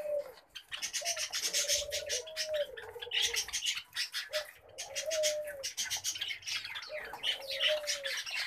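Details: Common babblers kept as pet birds keep up a loud, raspy, continuous chattering, broken by short pauses, while a low hollow tone rises and falls three times in the background.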